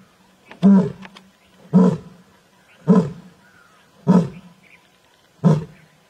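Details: An Asiatic lion in Gir gives a series of deep, grunting roars, each about a second apart.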